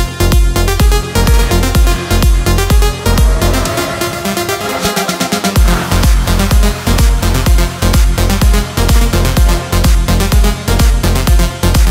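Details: Loud electronic dance music with a pounding steady beat and synth layers plays throughout, with no animal sound.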